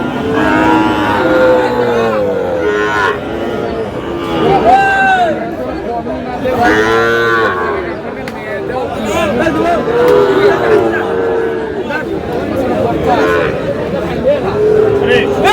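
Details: Sahiwal bull calves at a cattle market in Dinajpur, Bangladesh, with farmers buying: repeated deep, drawn-out moos from several animals overlapping, amid steady crowd chatter and bargaining voices.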